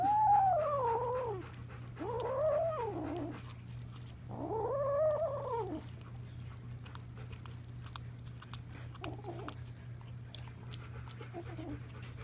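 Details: Four foster kittens making odd noises while eating a turkey neck taken from a dog's bowl indoors: three drawn-out, wavering, arching meow-like calls in the first six seconds, then softer short calls, over a steady low hum.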